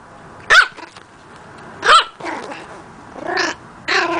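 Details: Pet puppy that is just learning to bark lets out high, squeaky barks roughly every one to two seconds, mixing sharp yaps with softer, rougher ones.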